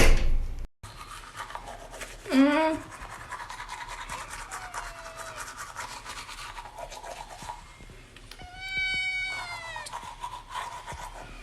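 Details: Young kitten that follows its owner everywhere, heard indoors. Two short, high, tonal meows rise through a steady background hiss of household noise, with faint human voices nearby.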